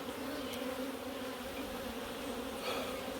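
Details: Africanized honey bees in Puerto Rico, hives opened for routine maintenance; an unbroken, thick humming drone, steady in pitch throughout, with occasional higher buzzing bees passing close.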